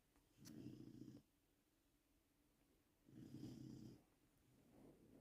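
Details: Bruno, a Labrador Retriever in Poland and the loudest snorer in his family, snores softly. Two short, low, rumbling breaths last about a second each, three seconds apart, in a quiet room.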